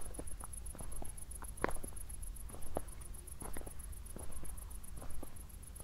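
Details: Night crickets near Zwettl, Austria, shortly after a thunderstorm; rapid, evenly pulsed high chirps continue without pause while a walker's footsteps crunch irregularly and a low rumble sits underneath.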